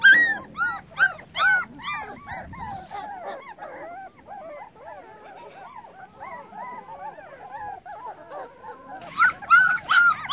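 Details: Puppies whose eyes have just opened call for their absent mother: several overlapping high, whiny yelps that rise then fall, loud and dense at first, softer and scattered midway, then a loud burst again at the end.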